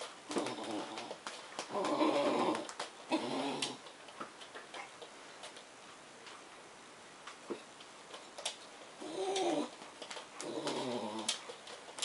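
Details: Bedlington Terrier Suki, black, greeting crated English bull terrier Kyle alongside liver Bedlington Bailey, making funny noises: wavering, moaning whine bursts near the start and again toward the end, separated by a quiet stretch with light tapping.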